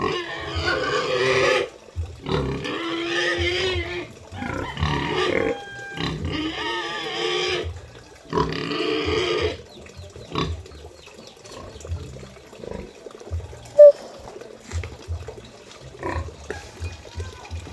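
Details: Moving a sow: harsh, loud squeals and screams in several long bursts over the first eight seconds, then quieter scattered grunts and handling noises with a low hum.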